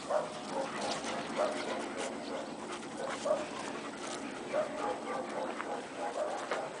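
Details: Akita Inu aged six months at play with another dog and puppies: brief mid-pitched yelps or barks repeat roughly every one to two seconds against continuous scuffling noise.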